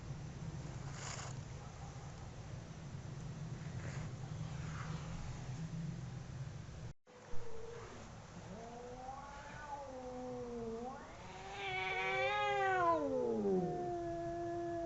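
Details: Two domestic cats howling while fighting; after seven seconds of steady low rumbling noise, drawn-out wavering howls rise and fall in overlapping harmonic tones, swelling louder and climbing before sliding down near the end.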